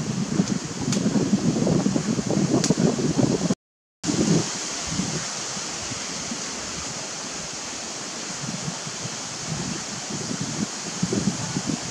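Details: Steady rushing noise like wind or running water fills the recording, with rustling, a brief silent gap near four seconds and no animal calls.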